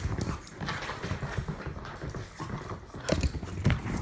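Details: A Jack Russell Terrier mix and an English Bulldog play-fight, growling and grumbling low in their throats, with scuffling sounds.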